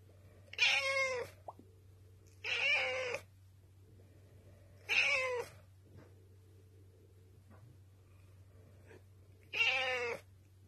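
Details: Black rescued indoor cat pleading for dinner, having begun restless begging half an hour early: four loud, harmonic-rich meows about two to three seconds apart, each under a second long, with a constant low mechanical hum throughout.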